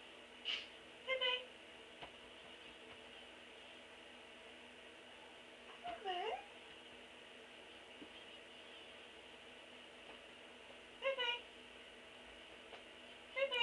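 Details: Black and white pet cat indoors, jumping onto a bed where someone is sitting; short, harmonic meows come in brief bursts, one rising then falling near the middle and others spaced several seconds apart, over a quiet room hum.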